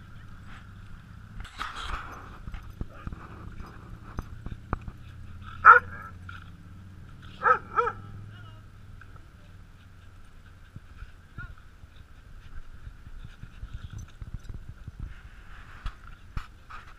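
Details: Speckles, a 10-month-old female American Bulldog and Pit Bull mix, plays with an Aussie at a dog park near San Francisco, California. Sharp barks sound near 2, 6 and 7.5 seconds, one a quick double, over a steady tone, low rumble and scattered rustling thuds.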